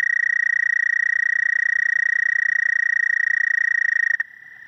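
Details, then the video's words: A frog gives a high, fast-pulsed, even-pitched trill at steady volume for about four seconds. It then stops abruptly, leaving a fainter, slightly lower steady tone. "Frog croaking"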